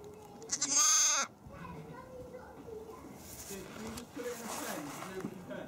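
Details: A lamb gives one short, high, strained bleat lasting about half a second, followed by quiet background chatter and faint voices.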